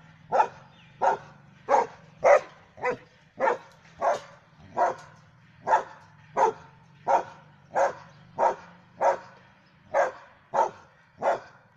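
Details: A German Shepherd Dog belonging to the household barks repeatedly, about eighteen short, punchy barks at a fairly even pace over a constant low mechanical hum.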